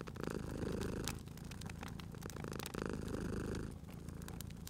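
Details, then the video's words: Sleeping cat purring beside a crackling fireplace in a cozy spring setting: a low rumbling purr swells and fades with each breath, two cycles here, while sharp fire pops and crackles snap throughout. "Cute Purring Cat at a Crackling Fireplace"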